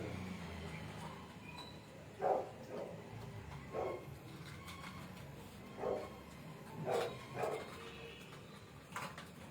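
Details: Indian pariah dog (desi dog) puppy, recorded 11 July 2025 at 8:05 pm: a handful of short, high yelping whimpers spaced irregularly over ten seconds, two coming close together near the end, over low indoor hum and faint background voices.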